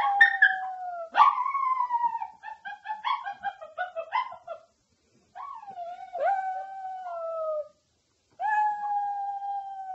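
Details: Pet dog howling in long sustained wails that slide down in pitch, with a few shorter wavering notes in between, brief silent breaks, and no other sounds.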